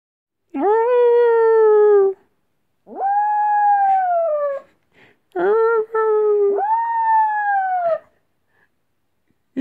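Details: A female Chihuahua cross Jack Russell howls for her absent owner, missing her: four drawn-out, tonal howls of one to one and a half seconds each, steady then sagging slightly in pitch, separated by brief silences.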